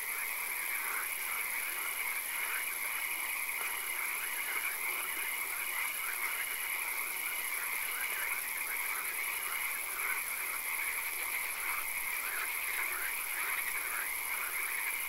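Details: Swamp frogs calling at night, a steady, continuous wash of croaks with brief pulsed trills in the first half, over an even high-pitched background hiss.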